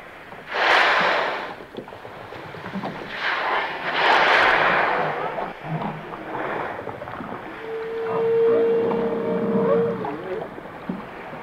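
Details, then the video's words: Singing whale: several rough, broadband roars early on, quieter low grumbles in between, and a sustained even-pitched moan late in the passage. "The song of the whales!!!"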